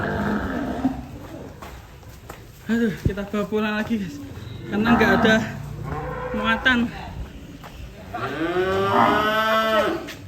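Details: Cattle at Gaplo Setia Farm in Indonesia, a cow that has run loose. Men talk and chatter over clattering for most of the stretch, then one long, drawn-out, wavering moo fills the last couple of seconds.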